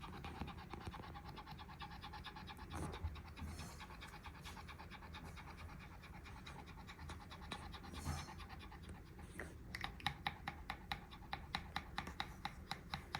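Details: Pote, a Pekingese, breathing heavily after a walk, the breaths likened to an idling motorbike engine: rapid, rhythmic rasping pants in a steady chugging pulse that grows sharper and more clipped toward the end.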